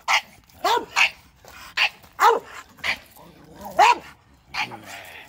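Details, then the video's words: Bulldogs react to a shop vacuum with a handful of sharp, slightly yelping barks spaced unevenly about every half second, with some voice-like sound mixed in. "Bulldogs vs ShopVac"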